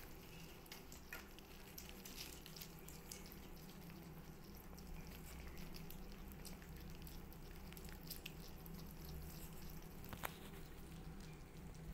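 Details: Very quiet indoor hum with light dripping-like ticks and small clicks, and no audible animal call.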